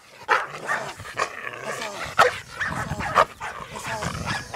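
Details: Trained Belgian Malinois during professional training, barking in short bursts about once a second, mixed with a handler's commands and voice.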